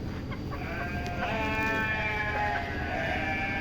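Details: Sheep bleating among a group, wavering harmonic calls overlapping one another, with people talking over them and a steady background hum.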